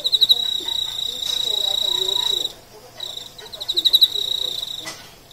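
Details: Emma field cricket (Teleogryllus emma) sings a high, pure chirping that runs into sustained ringing trills, recorded around mating.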